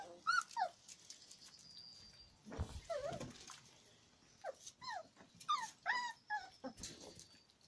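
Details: Beagle puppies from a V litter whimpering: high, thin whines that bend up and down, coming in short clusters of two or three with brief quiet gaps, some soft rustling and shuffling between calls.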